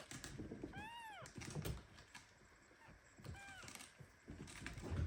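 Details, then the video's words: Premature kitten held very tightly by its mother cat Ginny, meowing indignantly at the squeeze. Two high, arching meows with rising-then-falling pitch, a clear one near the start and a fainter, shorter one about two seconds later, over rustling and soft tapping. "Mother cat hugs premature kitten so tightly that he starts meowing."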